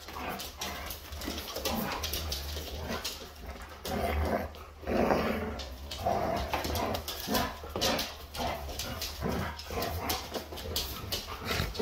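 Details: A husky indoors playing with and fighting a lampshade. It gives rough, noisy growls and huffing bursts in an uneven series of about one per second, mixed with scuffling and knocks.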